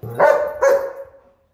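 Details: Two loud, harsh barks in quick succession from dogs, a German Shepherd and Huskies, play fighting, the second fading out into silence.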